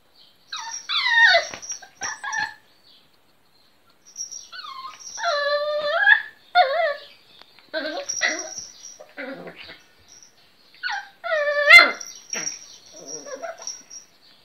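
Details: Little pet Miniature Pinscher barking for the first time, producing bursts of squeaky, wavering, whine-like yelps and yips in short irregular runs, some high and nasal, with brief pauses between them.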